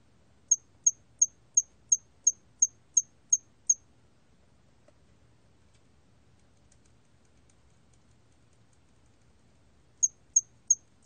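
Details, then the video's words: A 2020 National Institute of Biological Resources recording of the hairy cricket: a run of ten thin, high chirps at a steady tempo, a pause of about six seconds, then a new run starting. "털귀뚜라미, 여러번 듣기, 곤충소리"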